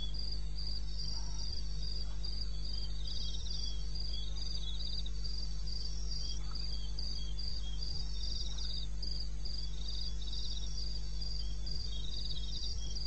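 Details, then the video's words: Wild crickets calling at 2:30 AM in the wilderness of eastern Botswana, recorded 21 May: high, pulsed chirps in fast, steady bursts of several a second over a constant low hum. "cricket sound"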